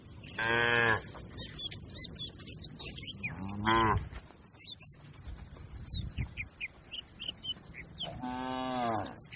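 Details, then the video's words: A herd of tame cattle grazing on a wide green pasture with a herdsman: three long, harmonic-rich moos, widely spaced across the stretch, with small birds chirping between them. "Funny Sounds of the Herding Cattle"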